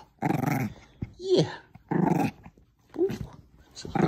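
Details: Female Bichon Frise at play, tugging a small stuffed squirrel indoors, letting out gruff growl bursts about every second and a half, while a woman cheers her on between them.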